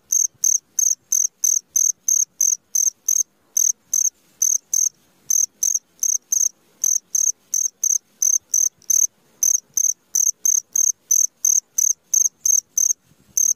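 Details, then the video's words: Cricket at midnight producing a long run of shrill, high chirps about three per second, briefly interrupted a few times, with little else audible. "SUARA JANGKRIK TENGAH MALAM"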